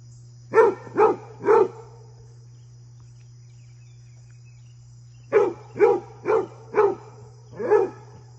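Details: Basset hound Fred, with his deer friend around, gives three rapid barks, falls silent for about three seconds, then five more evenly spaced harmonic barks, a faint low hum constant throughout.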